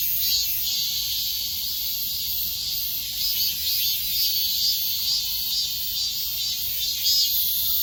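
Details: Cicadas singing in midsummer: a dense, unbroken high-pitched buzzing chorus that holds steady at a constant loudness throughout, with faint pulsing in the shrill drone and nothing else clearly heard.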